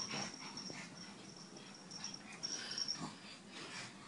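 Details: A pug from a humorous compilation snuffles and wheezes steadily, rough nasal breathing swelling into louder raspy snorts around the middle and again near the end.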